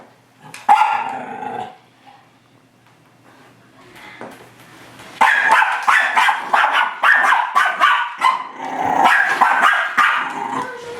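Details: Miniature Schnauzer dog confronting its mirror reflection: an opening bark and growl, a quiet spell of low rumbling, then a sustained volley of sharp, fast barks, several each second, continuing to the end.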